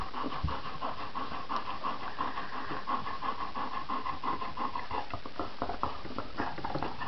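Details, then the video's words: Eighteen-day-old Irish Red Setter puppies heard as rapid, breathy panting and snuffling, a steady buzzy hiss with quick irregular puffs throughout. "Irish red setter puppies, 18 days old"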